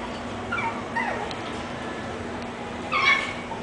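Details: English bulldog puppy named Peep gives two soft, high whimpers that slide downward in pitch, then a brief brighter squeak near the end, over a steady low background hum.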